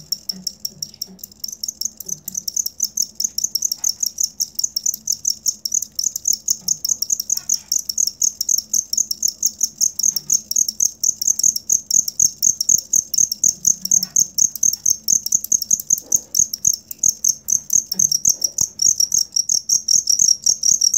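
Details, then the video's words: Loud, dense cricket chirping, recorded for teaching songbirds: rapid high pulses running almost continuously and growing stronger over the stretch, with faint low thumps beneath. "Suara Jangkrik asli"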